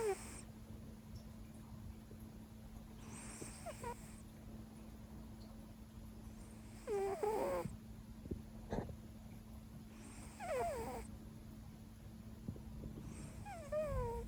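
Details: Leo, a Siberian cat, snores deep into a five-hour nap after a long "workday" and a missed noon meal: breathy, rasping bursts come about every three seconds, some carrying thin squeaky whistles, over a steady low indoor hum.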